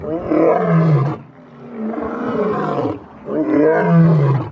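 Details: A lion's dominance roar: three long, deep, rumbling bellows, each about a second or more, separated by short pauses, heavy and harmonically rich throughout.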